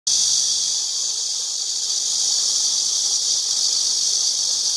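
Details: Cicada singing in a continuous, dense, high-pitched hiss that begins abruptly and then holds steady and loud without any break for the whole stretch.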